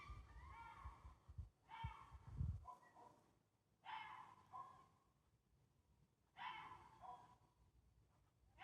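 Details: A fox in Sheffield, UK, on Monday 26 August 2024, gives harsh, hoarse, breathy calls about a second long, slightly falling, repeated every two to three seconds, over low rumbling wind or handling noise strongest near the start.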